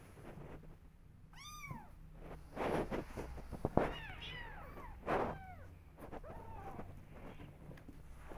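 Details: Kittens meowing because they want to go outside and explore; a clear, high arched mew early on, then several overlapping, lower wavering mews amid thumps and handling noise.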